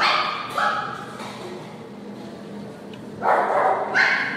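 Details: Purebred poodle giving two high, harsh barks about three seconds apart, with a low murmur of background noise between them.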